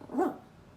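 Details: Poodle barking; one very short, mid-pitched yap that rises and falls quickly, followed by quiet.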